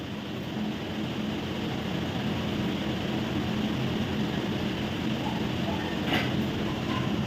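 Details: Continuous broadband rumble like passing vehicles or a machine hum, with a brief faint burst near the end and no animal voices.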